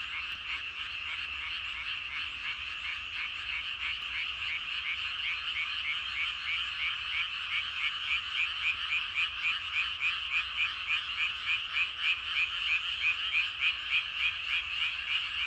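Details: Loud chorus of many frogs in evening rice paddies, croaks pulsing in a clear regular beat near three per second that becomes more distinct and stronger in the second half.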